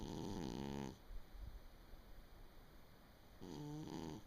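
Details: Sleeping house cat snoring on 23 December 2017: a low, buzzy snore, a quiet gap of about two and a half seconds, then the next raspy breath begins.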